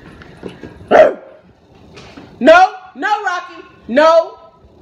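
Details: Pet Rottweiler barking at its owner with drawn-out, rising-then-falling harmonic barks, about one every second, while a person talks.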